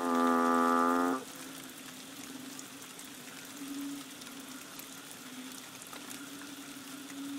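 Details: Banded bullfrog on Koh Lanta, Thailand, in the rainy season of March; a single bleating, harmonic moo just over a second long opens, followed by a faint, steady low chorus drone.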